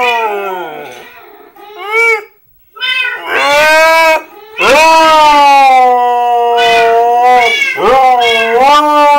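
A husky howls in long, wavering, tuneful notes that slide up and down between short breaks.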